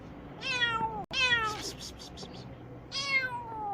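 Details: Kitten Tintin crying and wanting to get away while eye cream is applied to its once-closed eye; three falling meows in quick succession, the second longer and louder, with a brief sharp click between first and second.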